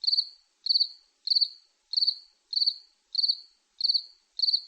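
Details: Cricket chirping in short, high, pulsed bursts, eight chirps spaced about 0.6 seconds apart, each a quick trill that fades briefly, against a silent background.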